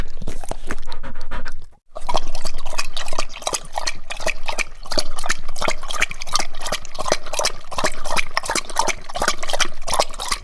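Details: A dog drinking, looking as if licking: rapid, steady run of wet lapping clicks, several per second, with one brief pause near the start.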